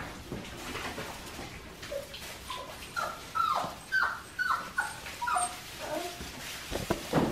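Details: Five-week-old Australian Shepherd puppies from Priscilla's litter at an Oklahoma breeding farm give a busy run of high whimpers and short yips, roughly two per second, with rising-then-falling whines clustered through the middle.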